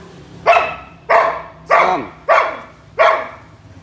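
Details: Samoyed giving five loud, even barks, roughly one every 0.6 seconds, each with a sharp onset and a short falling tail.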